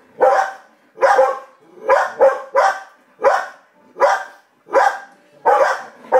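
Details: Pet dogs at home: Gracie reacts to the TV with barks and Coco barks at Gracie. Single barks repeat under a second apart, with one quick double bark near the middle.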